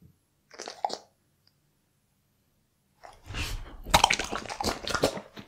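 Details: Pet Bull Terrier chewing different cuts of raw beef indoors; a short crunchy bite, a pause of silence, then a loud run of wet, crunching mastication with rapid irregular bites.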